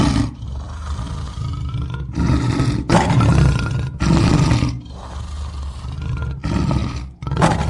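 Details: Deep, booming lion roars dominated by low rumbling, repeated in heavy bursts about every second, separated by short breaks, with a hissy, noisy background throughout.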